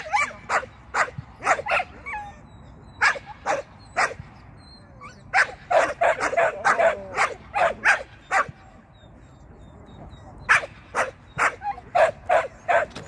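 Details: Shetland sheepdog Sian, taking on the seesaw and tunnel for the first time in agility, barks eagerly in quick, clipped volleys of bright yaps. The volleys break off briefly and then resume.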